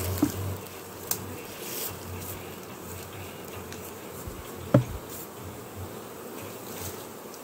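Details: Farmed western honey bees in Jambi during an acacia honey harvest from hives left unharvested for three weeks; a steady low droning hum of many wings continues throughout, broken by a few sharp clicks and knocks.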